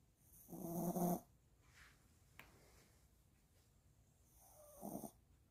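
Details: After a walk, a Maltipoo pup dozes and snores: one strong, buzzy, tonal snore early on, then a few faint snuffles and a sharp click, ending with a softer wheezy snore.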